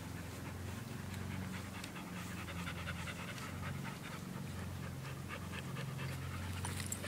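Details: Two dogs, an Australian Shepherd mix and a Belgian Malinois mix, playing together; steady rapid panting and breathy huffs run throughout, over a low continuous hum.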